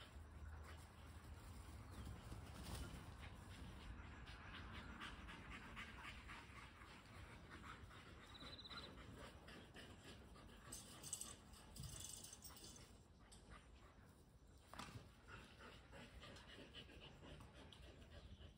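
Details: Two dogs, a Kelpie cross and a Border Collie, panting while chasing a tennis ball; quick, breathy puffs repeat steadily throughout, with soft broadband rustling and a low rumble underneath.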